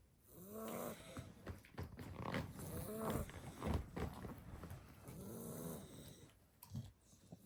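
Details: Seven-week-old blue Staffordshire Bull Terrier puppies asleep after a two-hour Christmas party: overlapping raspy snores broken by short squeaky, arching whimpers, irregular and close, with soft rustling between breaths.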